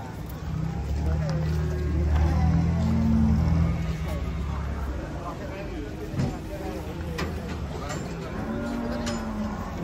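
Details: Banteng cattle being unloaded from a truck, giving a low, drawn-out moo that lasts about four seconds, then fainter lowing, with voices, vehicle noise and background music.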